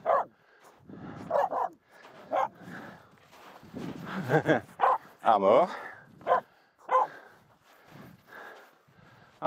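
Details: Finnish Spitz Aamu keeps barking at two close reindeer while crossing snow on the climb up Mulen; irregular sharp barks mixed with a person talking loudly and footsteps on snow.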